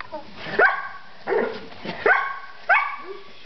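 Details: Three-week-old Collie puppies at play give four short yelping whimpers, each a quick rising, harmonic squeal, spaced roughly every half to one second.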